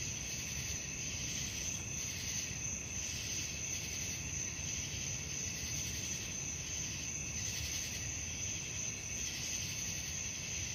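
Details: Crickets at night produce a continuous high, shimmering trill with regular throbbing swells, backed by a steady low rumble of distant noise.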